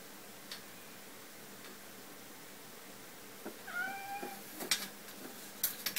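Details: A pet cat that wants to go out, in an office after waking, trying to leave through the window blind; one clear, rising-then-falling meow near the middle, followed by rustling and clattering of the blind.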